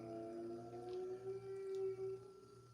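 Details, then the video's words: Humphrey, a very vocal baby Bactrian camel at Ocoee Riverside Farm in Benton, Tennessee, giving a friendly greeting likened to Wookiee talk: a long, steady, moaning hum with stacked harmonics, swelling and fading over nearly three seconds. "So that crazy noise that you can hear, that is Humphrey, the baby Bactrian camel."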